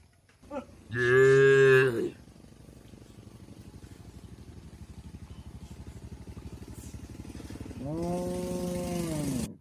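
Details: Tame cattle on their way to a wide field in a village setting: one short, loud moo, then a long stretch of rhythmic engine-like putter, with a second fainter, level moo near the end.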